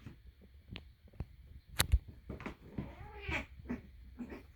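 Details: Two domestic cats playing together indoors, one sounding off while losing at play: short chirping trills and a rising-falling brrt near the end, with soft thumps and scuffles from the play in a small room.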